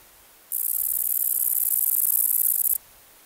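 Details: A Kerik meadow katydid (Conocephalus melaenus), which sounds by rubbing its wings, gives a very high, thin, steady buzz lasting about two seconds.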